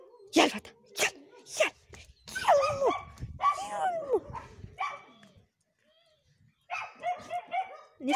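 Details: One of two dogs, with pigeons nearby, gives three sharp barks about half a second apart, then whiny, sliding yelps, with human voices and more barking toward the end.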